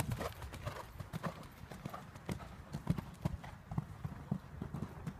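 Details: Hoofbeats of a mare jumping a clear round in her first 90 cm show-jumping class: steady, rhythmic low thuds, roughly two strikes each second, over a soft background rumble.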